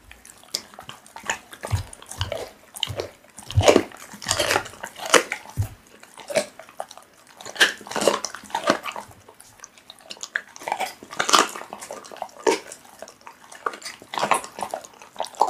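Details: Pit bull chewing raw meat up close, loud moist crunching and tearing bites in irregular bursts, a few low thuds early on, steady wet smacking throughout.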